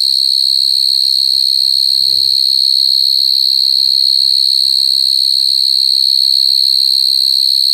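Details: Continuous shrill, tonal whine of coconut crickets, unbroken and even in loudness throughout, with ringing overtones above it. A short low voice-like sound appears near the two-second mark, and a soft low rhythmic patter runs beneath.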